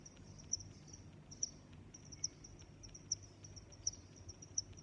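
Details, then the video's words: Crickets in a natural soundscape give shrill, pulsing chirps at intervals of roughly 0.7 to 0.9 seconds above a gentle high trill and dull low background noise. "Sounds of Crickets"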